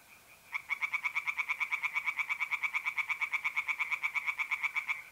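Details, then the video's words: Tree frog calling at night by a pond in north-east Italy, mid-April: a rapid, regular string of rasping croaks, roughly seven per second for nearly five seconds, above a faint steady mole cricket trill. "relaxing singing tree frogs in pond and trilling mole crickets by night"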